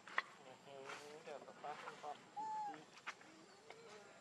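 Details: Baby monkey Leo, hungry, crying and begging its mother for milk: thin whining tonal cries, some wavering, one clear arched squeal mid-clip, with brief clicks and soft rustling between calls.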